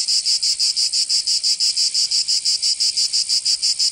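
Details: Summer cicada in Provence, in the south of France: sharply separated, rhythmic bursts of high, metallic buzzing, close to three per second and very regular, with nothing else audible.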